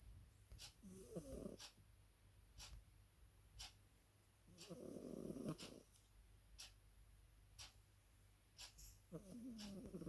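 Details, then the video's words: A pet cat named Chanel snoring: low, rasping breath bursts roughly every four seconds, separated by quieter stretches with sharp faint clicking ticks. "Как храпит Шанэль"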